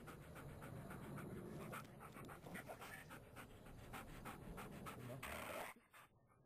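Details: A puppy with shaking puppy syndrome pants quickly, about four breathy huffs a second in a steady run, close to the microphone, with rustling handling noise throughout and a brief pause before quieter breathing at the end.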